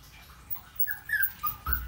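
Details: Puppy giving a few thin, high whimpers that rise and fall, short tonal squeaks bunched in the second half, with a soft thump at the end in a quiet room.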